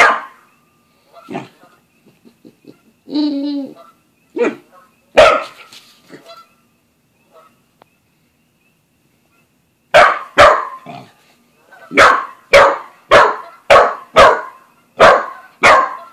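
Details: Buzz the Australian Shepherd and Corgi mix meets the family cat Bread Bandit; scattered quiet sounds, a short whine and a person's voice early on, then a quick run of sharp repeated barks toward the end.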